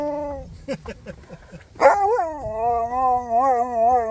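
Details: Siberian Husky crying with joy on seeing people: short rising yelps, then a sharp squeal and a long wavering, whining howl with clear overtones. Music plays softly behind.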